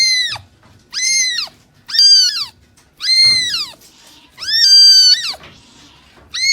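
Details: Cat meowing loudly and insistently, roughly once a second, with bright, strained cries that arch up and fall; faint low bumps sound between calls.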